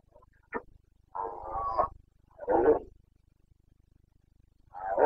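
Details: Rutting Carpathian red deer stag in Bucovina's mountain forests, late September 2022. A short grunt is followed by drawn-out, rough, groaning roars, three long bellows spaced about a second apart.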